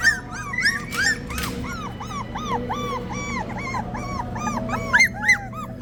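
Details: Litter of three-week-old Australian Cattle Dog puppies at a farm in Cassatt, South Carolina, giving many overlapping short arched squeaks and whimpers, several per second, over a steady low hum.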